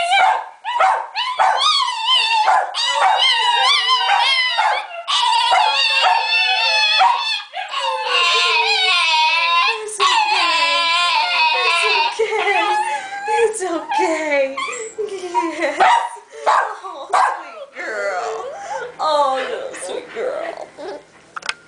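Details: A female Italian Greyhound whines, yips and howls in long, wavering, high-pitched bursts to get attention.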